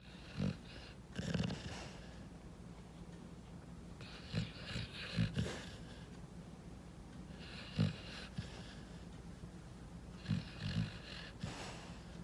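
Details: Rescued pit bull puppy asleep and dreaming, snoring loudly: low rough snorts in short bursts every one to three seconds, some doubled, with quiet breathing between.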